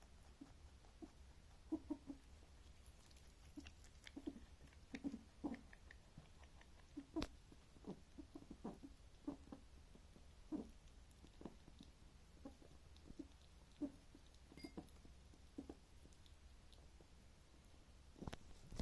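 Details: Rabbit, a male, giving strange noises as he eats: a long run of short, low, soft grunts and clicky chewing sounds at irregular intervals, with a few sharper snaps, against faint indoor hum.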